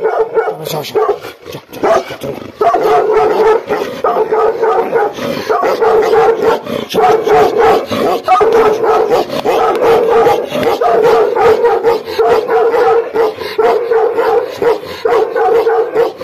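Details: Gaddi dogs Billa and Jaiky in aggressive mood: continuous loud, rough barking and snarling, densely packed with almost no pause, harsh and steady throughout.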